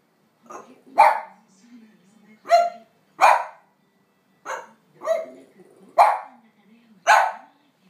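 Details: ['French Bulldog barking insistently to demand a walk while its owner lingers, usually a quiet dog; about eight sharp, harsh barks at uneven intervals, with faint whining and soft murmurs between them.']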